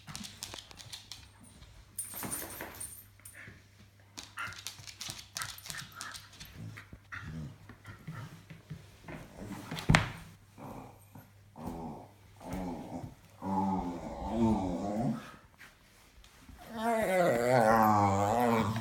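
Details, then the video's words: Funny vocal noises from a pet dog: mostly soft rustling and snuffling, then a wobbling, yodel-like moan that returns louder and more strained near the end. One sharp knock sounds midway, and a low hum runs beneath. "Dog making funny noises!"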